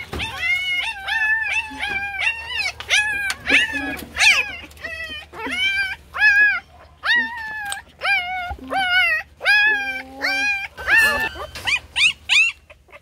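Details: Puppies crying loudly while competing for attention: a steady run of high, arched, whistle-like whines with rich overtones, roughly one to two per second, some overlapping, with faint background hum.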